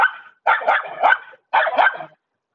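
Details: Loud, harsh barking from a German Shepherd: three rough, drawn-out barks, each about half a second long, with brief pauses between them.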